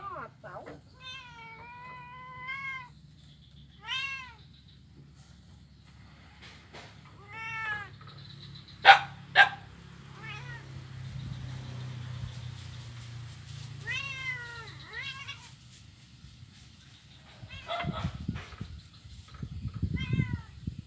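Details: Blind kitten playing on an ironwood bridge in Kuala Kapuas, Central Kalimantan, Indonesia, on Monday 25 November 2019; short high meows repeated every second or two, two sharp clacks midway, and soft rumbling noise toward the end.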